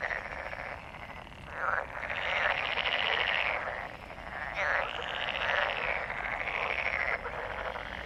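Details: Frog. Many frogs call at once in a thick, continuous chorus of rattling trills and croaks that swell and overlap. It is the massed calling of a breeding gathering.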